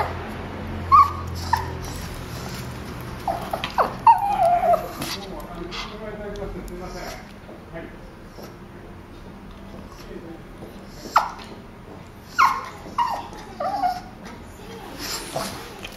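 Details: Boston terrier and petit brabançon, tense and trying to escape, in a veterinary clinic waiting room. High, thin whimpers and whines come in short bursts near the start, middle and end, with quiet voices and room noise between them.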